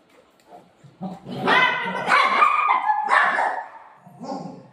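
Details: Golden retriever and shih tzu puppy playing and play-fighting with their owner indoors: a run of high, strained yelps and squealing barks rising and falling in quick succession, with soft human voices before and after.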